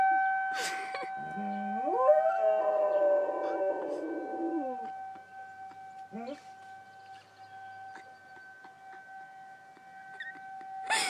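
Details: Riley, a dog, howls at a tornado siren: a rising, wavering howl climbs from low to mid pitch and trails off after about four seconds, over two steady siren tones that run throughout, with brief clicks and noise bursts.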